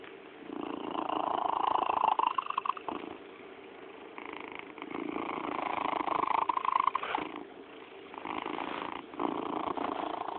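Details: Pet cat Yakuza making chirping sounds in bursts of a few seconds, each a rolling, trilled stutter separated by brief quiet gaps, recorded close in a small room.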